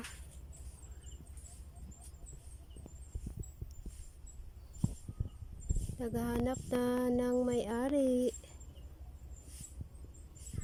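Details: Baby goat beneath a tree: several seconds of faint tapping and rustling, then a single drawn-out steady bleat of about two seconds that wavers at the end, over a low continuous hum.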